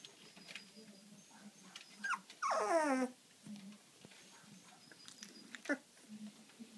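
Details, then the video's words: Sleepy Labrador retriever puppy giving a drawn-out yawn: one strong, harmonic whine that slides steadily downward for about half a second, with faint soft snuffles before and after in a quiet room. "Cute sleepy Labrador puppy yawning"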